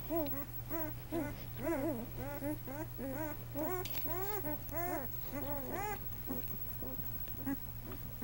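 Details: Newborn male Great Dane puppies on their first day, born at 2 lbs each, litter of Lois; many high, arching squeaky whines overlap in quick irregular succession over a steady low electrical hum.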